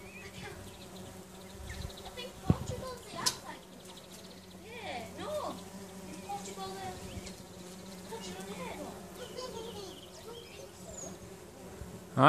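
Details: A steady, low droning hum from a tree full of bumblebees in a back garden in summer, with people talking quietly over it.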